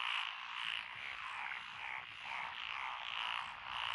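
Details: Lotus rice paddy in Echizen, Fukui, Japan, 12 June 2021, where several frog species call together. Fast, rattling croaks overlap in a continuous, gently pulsing chorus with no other sounds.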